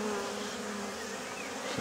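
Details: Honeybees flying at the entrance of a travel box, some carrying pollen in; a steady broadband buzzing hum of many wings fills the clip, with a faint thin whistle-like tone near the end.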